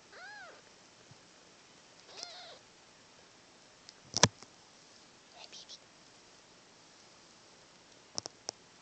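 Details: Tiny dark Siamese kitten playing with paws in a person's lap, recorded on a phone: a few faint, short, high arching mews with pauses, soft handling clicks and taps, a woman speaking quietly.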